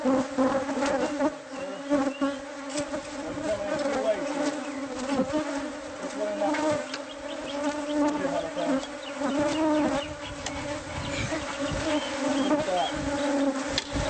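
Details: Many angry bees from a hive hidden inside the walls of a newly bought house, disturbed during removal with honeycomb exposed; dense, steady droning buzz with a low hum and a higher overtone, sustained throughout, with occasional knocks and clatter.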